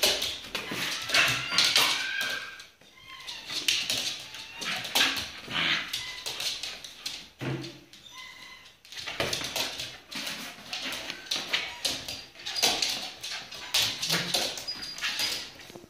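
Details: A Shiba Inu boxing in play gives short whiny yips and grumbles amid bursts of scuffling noise.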